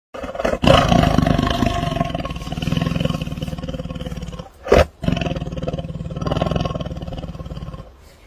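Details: Tiger (Panthera tigris), roar.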